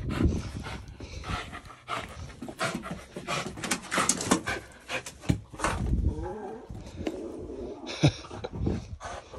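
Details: French bulldog playing with sticks, breathing in rapid, noisy pants and snorting snuffles that come in uneven bursts, with occasional scuffling sounds in a small indoor space.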